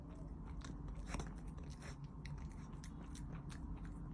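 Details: A cat making funny noises while eating: rapid, dense crunching and biting clicks run throughout, with a steady low rumble underneath.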